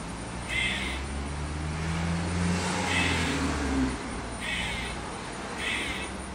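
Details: Squirrel in a backyard, described as clucking like a chicken and then cawing: four short raspy bursts near 0.7, 3, 4.6 and 5.7 seconds, over a steady low engine rumble from a vehicle.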